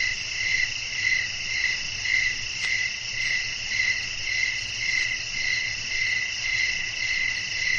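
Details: Crickets calling at night amid wind, a continuous high-pitched insect chorus with evenly spaced chirp pulses roughly twice per second and a soft low hum underneath.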